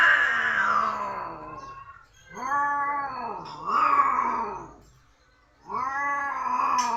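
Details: Domestic village cat during mating, yowling in long harmonic wails that dip and rise, three main cries over seven seconds with a silent pause before the last, loud and close.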